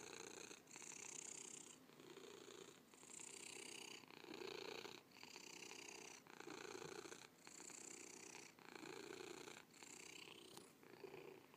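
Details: Rhythmic purring of a cat, grainy buzzing rumble alternating in clear in-and-out breath cycles of about a second each, even and relaxed throughout, with a faint click near the end.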